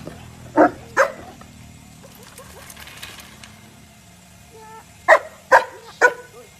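An Alaskan Malamute barks in short, gruff bursts: two near the start, then three more in quick succession after a pause. Faint tonal sounds, possibly music, murmur in the background.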